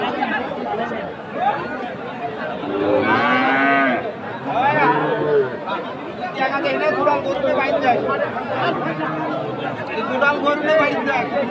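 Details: Friesian and crossbred heifer calves at the Aftabganj cattle market in Dinajpur, recorded March 22, 2023; several drawn-out, wavering moos rise above a constant background of crowd chatter and voices.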